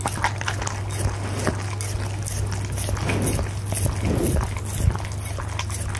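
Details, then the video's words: Dinner of steak and egg for Punte the goldendoodle, recorded through a Blue Yeti microphone; soft, sloshy mouth noises and moist smacking run on continuously beside a steady low background hum. "ASMR Dog Eating Steak and Eggs!"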